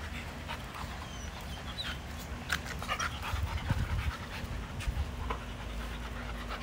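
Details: Dogs playing in a yard, heard panting in quick, uneven breathy bursts over a steady low rumble, with scattered scuffing and rustling noises throughout.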